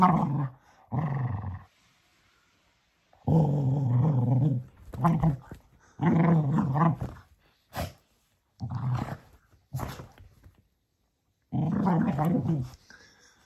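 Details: Male Cocker Spaniel playing with his toy donkey before bedtime indoors: low, throaty growls in bursts of one to two seconds with short pauses, some rising and falling in pitch, about six bouts.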